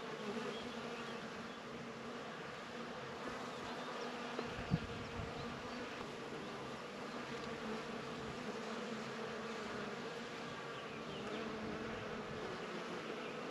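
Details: Bees among flowers, a dense steady buzzing hum from many insects with layered low drones, continuous for the whole stretch, one brief knock near the middle.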